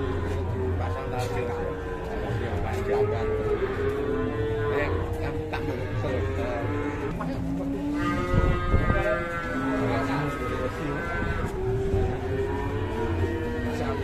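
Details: Raging cow being handled by three handlers: repeated drawn-out, bending moos with rich harmonics overlap through the clip, set against steady background music and low rumble.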